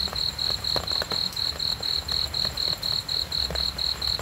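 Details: Cricket calling for a sleep and relaxation recording, evenly spaced high shrill chirps at about four per second, steady loudness, faint low background hum.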